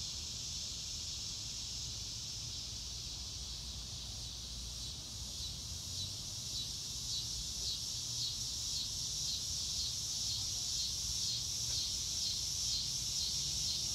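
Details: Crickets in a chorus under a blue sky in the grass, a dense steady high-pitched pulsing trill held throughout with even rhythm, over a low rumble of wind or distant background noise.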